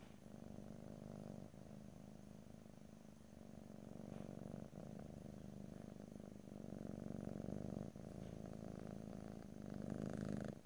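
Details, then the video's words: Steady, deep purring from a domestic cat, captured ear to ear in stereo without speech, a continuous low rumble that grows slightly louder toward the end. "ASMR Cat: Purring"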